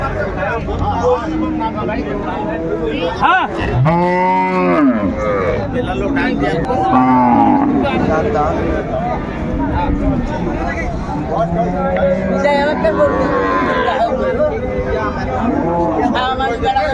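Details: Market cow with calf, Ambari Hat, Dinajpur, Bangladesh, January 17, 2025: a strong, rounded moo rises and falls, then a shorter second low call follows, with further bellows and busy human chatter filling the background.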